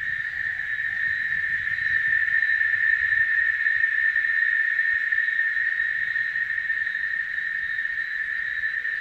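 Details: Cicadas singing: a steady, unbroken shrill buzz holding at one high pitch throughout, with a fainter higher overtone and a little low rumble beneath.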